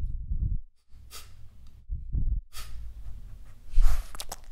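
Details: Boston Terrier named Bugsy, recorded in a studio for gruesome monster-style sounds: low rumbling grunts in short bursts alternate with harsh, breathy snorting exhalations, the loudest snort coming near the end.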